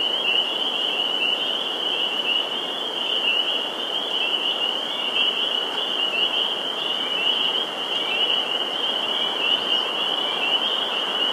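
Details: Massed spring peepers at a Massachusetts vernal pool in Sudbury on April 11, 2019 keep up an unbroken, intense high-pitched chorus of overlapping peeps, steady in loudness throughout.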